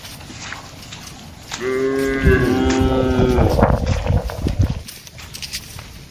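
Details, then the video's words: Cattle roaming a broad plantation, a drawn-out harmonic moo lasting about two seconds that breaks into rough, noisy grunting and low thumps, with background hum. "Vidio mengembala sapi lembu di kebun yang luas, suara sapi"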